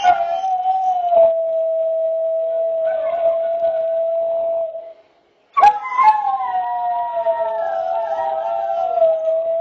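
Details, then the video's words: Greyhound roo: a long, steady, mid-pitched howl held for about five seconds. After a brief break, a second, more wavering howl with bright overtones follows and continues to the end. "Greyhound Roofest"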